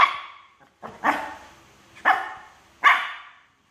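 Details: Shih Tzu dog pestering a myna bird: four rough, punchy barks, about one per second, each fading quickly.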